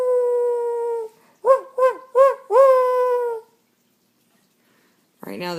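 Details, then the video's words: Household dogs crying: a sustained howl, then three short rising yelps and a longer falling howl. After a pause, a person's voice breaks in at the end. "When Dogs Cry"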